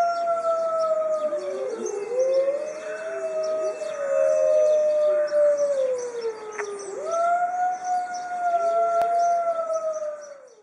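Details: Howling chorus from a pack of white Arctic wolves in a zoo, long sliding tones weaving together, one voice dipping then climbing again midway, the howls fading out at the close.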